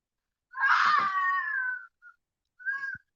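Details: A fox calling at night right under a window by a tree, very loud: one harsh, rasping scream over a second long, then a short squeak and a brief second cry.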